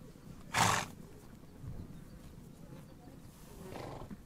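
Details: One sharp, breathy snort from a horse on the Mongolian steppe, then a softer exhale near the end over low outdoor rumble.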